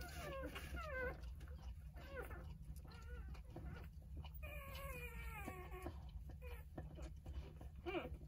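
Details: Five-day-old Jindo puppies from a litter of nine squeak and whine in thin, wavering, overlapping notes over a low steady hum while nursing and resting with their mother.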